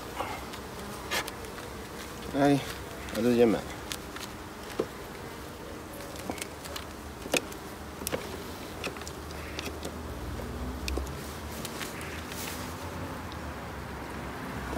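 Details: Colony hum from honey bee hives inspected at summer's end, 22 September, a low continuous drone with a few short bursts of human voice early on and light tapping throughout.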